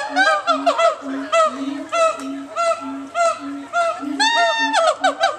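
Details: Siamangs at the Nashville Zoo at Grassmere call with deep, evenly spaced booms beneath loud, honking barks and rising whoops.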